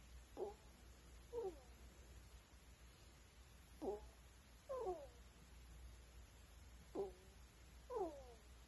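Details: Pet ferrets snoring while asleep at night indoors; squeaky, whistled wheezes sliding down in pitch come in pairs about a second apart, each pair returning roughly every three seconds, above a constant high electrical whine.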